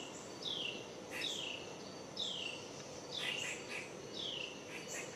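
A squirrel gives sharp, high screeches that slide downward, repeated about once a second.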